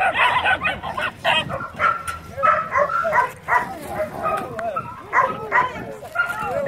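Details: Dogs and puppies greeting arriving people with rapid, repeated sharp barks and high yelping whines, barks coming in quick bursts with brief pauses, human voices mixed in throughout.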